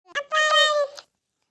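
A domestic cat gives one clear, drawn-out meow with a brief chirp before it.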